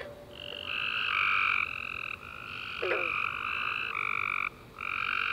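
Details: After a warm rainy summer day, tree frogs call at night in a dense chorus of buzzing trills, several voices overlapping and stepping in pitch, with one brief gap near the end and a faint sharp click.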